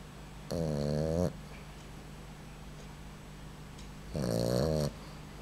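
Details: Sleeping Boxer puppy snoring indoors: two drawn-out, low, rattling snores, each under a second long, about three and a half seconds apart, with a steady background hum.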